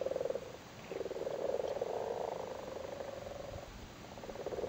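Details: In a flooded cattle grid in Cork, Ireland, spawning frogs sit on their spawn and call: a soft, low, grating purr that runs almost without break, swelling and fading.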